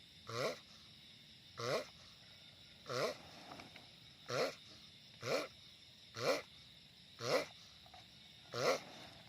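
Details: A giant sulcata tortoise sounds off with eight rhythmic nasal groans, each short and slightly falling, repeated roughly every second against quiet hiss.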